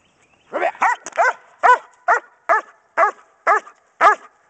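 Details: German Shepherd Dog Kodiak, a pregnant female three weeks before her litter of 10 puppies is due, doing Schutzhund bark and hold training in January 2010; nine loud, harmonic barks in a steady rapid series, each sharp and slightly falling, with quiet gaps between.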